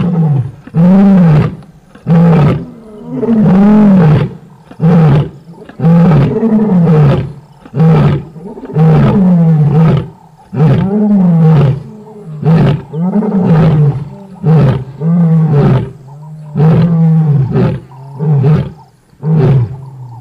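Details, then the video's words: A long roaring bout from a lioness: some seventeen deep, moaning bursts come in steady rhythm, strong at first, then shorter and grunt-like toward the end. "lioness roar"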